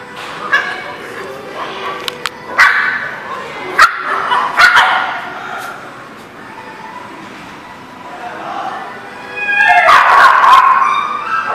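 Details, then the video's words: Dogs bark and yelp in a kennel-like setting. Sharp, scattered barks are mixed with longer whining yelps, and a loud burst of overlapping calls comes near the end over a constant background hubbub. "The Barking Lot"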